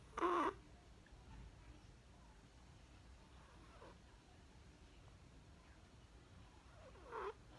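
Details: Perchik, a sleeping Chihuahua puppy, snores on 12 October 2020: a loud whistling snort at the start, quiet breathing, then another snore about seven seconds in, with the puppy's name spoken afterward.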